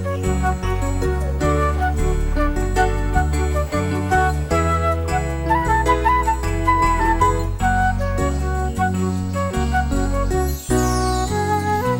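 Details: Light, jingly instrumental music with flute-like melody over a steady bass line; no animal voices can be picked out.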